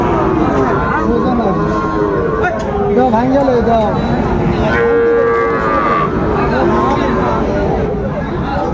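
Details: Many Friesian and crossbred bull calves at Raniganj market in Dinajpur on 3 September 2024. Short bawling moos overlap, with one clear steady held note near the middle, amid loud crowd noise and people speaking.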